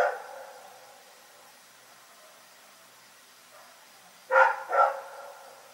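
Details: Rex, a dog in Pyrga, barking at night: a brief bark at the start, then quiet before two quick harmonic barks near the end, the second close behind the first, with no other sounds.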